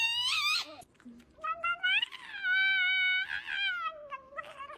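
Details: A cat gives drawn-out, wavering meows with rich overtones, several calls in quick succession with short pauses, each rising and then falling, in a small indoor room.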